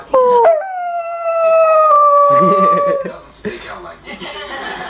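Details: Household dog lets out a sharp-onset howl that holds a steady pitch for about two and a half seconds, followed by people talking and laughing.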